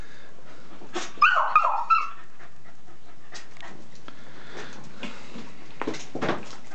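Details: Jack Russell and American Staffordshire terrier together; one dog gives a single high whining yelp lasting about a second, followed by quiet shuffling and faint scratchy movement sounds.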